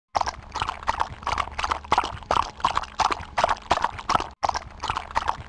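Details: Horse being ridden, its hooves striking the ground in a steady, rhythmic clip-clop of about two beats per second, each beat a sharp broadband knock, continuing through the recording with only a brief break near the end.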